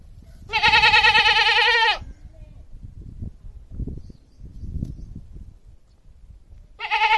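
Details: Long tremulous bleat from a domestic goat, about one and a half seconds of rapid wavering, then low muffled background sounds and the start of another bleat at the end.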